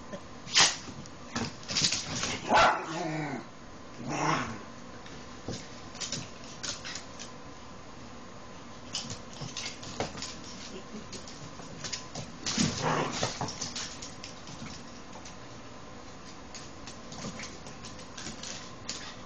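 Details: Rat Terrier puppy Cara, ten weeks old, playing with older dog Sassy; scattered short yips and whimpering squeaks, loudest near the start and around twelve to thirteen seconds, mixed with scuffling and thumps of play.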